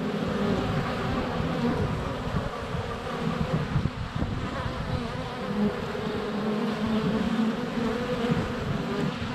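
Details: Honey bees in flight at a hive entrance on a sunny February day, filmed close up with a GoPro Hero 7 Black; dense continuous low buzzing from many bees with overlapping drones, steady throughout.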